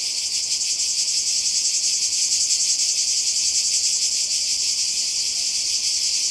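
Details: Summer 2020 seaside in Croatia: many cicadas buzzing together in one even, piercing high drone, with a fine fast throb running through it and nothing else distinct.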